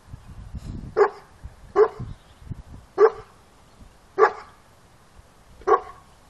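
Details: Boerboel dog giving five deep, loud barks, one roughly every second and a bit, after a person urges "go, go, go, move"; soft background rustling between barks.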